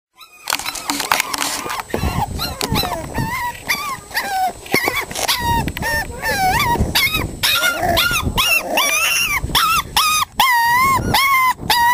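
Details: Five-week-old Staffordshire Bull Terrier puppies playing: a busy jumble of high, rising and falling squeals and yelps, several pups calling over one another almost continuously, with scuffling noise.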